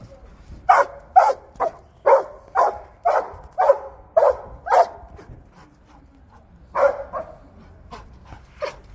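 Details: Belgian Malinois barking while at work: a quick series of forceful barks for five seconds, a brief lull, then a few more barks, one faint and one sharp near the end.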